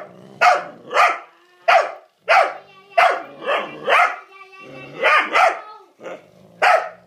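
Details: Rhodesian Ridgeback as Ellie pushes her luck with Jasper: a run of short, harsh, harmonic barks in close bursts, roughly one every half second to second, some doubled, with quiet gaps between.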